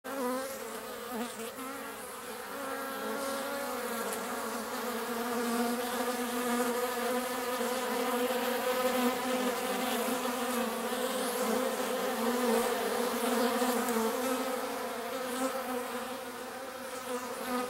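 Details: Bees drinking water, a steady continuous buzzing hum of several insects with layered droning tones, loudness swelling and easing slightly as wings beat throughout.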